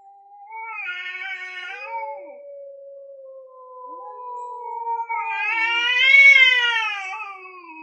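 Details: Male cats, orange and grey, caterwauling before a territorial fight: a low sustained moaning tone held for several seconds, broken by sharper rising-and-falling harmonic wails, the last louder and higher-pitched.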